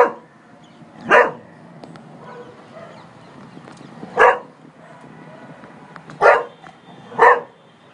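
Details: Cocker Spaniel barking at a man seen on a terrace: four short, sharp barks at irregular gaps of one to three seconds over a quiet, low background hum.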